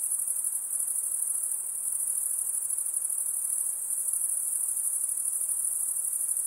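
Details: Insects produce a steady, very high-pitched shrill drone that holds unbroken and even in loudness for the whole stretch, with only a faint hiss beneath and no other sounds.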